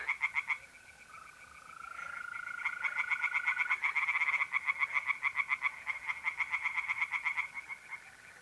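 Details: Night chorus of tree frogs in an Italian pond in mid-April, starting with a few croaks, then swelling into rapid repeated pulses about four per second, over the sustained trill of mole crickets.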